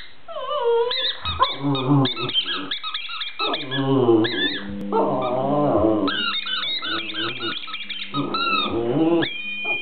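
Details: Pet Border Terrier singing to a squeaky ball: a busy mix of wavering yelps, whines and short howls over a steady low hum, with bright high squeaks from the toy scattered through the clip.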